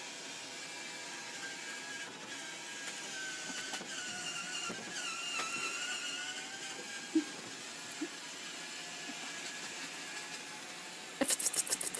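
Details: Quiet mechanical whirring with gliding tones in a small room, a couple of soft knocks and a burst of clattering at the end.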